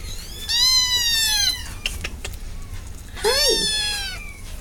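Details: Domestic cat meowing twice, each a bright, high cry that bends slightly downward, about two and a half seconds apart, with faint knocks in between.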